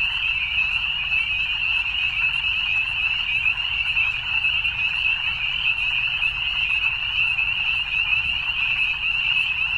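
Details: Evening frogs calling together in a dense, unbroken chorus of fast, trilling croaks that holds at one high, steady pitch, with a faint low rumble underneath and no other clear sounds.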